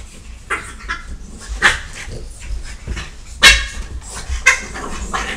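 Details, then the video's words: French Bulldog attacking a Catahoula while the dogs are home alone: harsh, broadband barks and snarling yelps in irregular bursts, about one loud outburst every second, with scuffling noise between them. "French Bulldog attacking Cattahoula"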